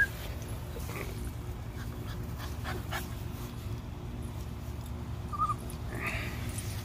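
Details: Cocker Spaniel from a litter of five purebred pups, giving a couple of short, faint whimpers late on over a steady low hum and soft handling noises.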